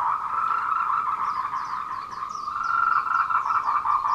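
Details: Tree frogs calling for courtship at 14:00 on 26 April 2018 along the Meiling Wulong Trail, Nanxi, Tainan, Taiwan, recorded on a Canon PowerShot SX720HS; a dense, continuous pulsing chorus with quick high chirping sweeps in bursts above it.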